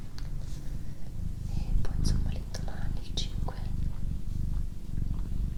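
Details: Deep continuous purring from Doroti, a house cat, recorded close up indoors, a low pulsing rumble under quiet whispered words and a few sharp tapping sounds.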